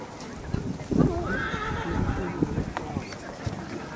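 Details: A young colt foal, born 25 May, whinnies while being shown at a foal presentation. The drawn-out, wavering neigh lasts about a second, rising then sliding down, over a German-speaking announcer and the clatter of hooves.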